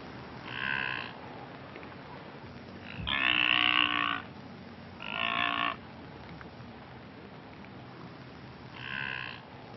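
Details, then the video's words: Blue wildebeest (brindled gnu) calling in Kruger National Park: four nasal, moaning calls spaced a few seconds apart, the loudest about a second long and the others shorter, over a steady background hiss. "Blue Wildebeest (Connochaetes taurinus) Brindled Gnu - Animal Call & Sound"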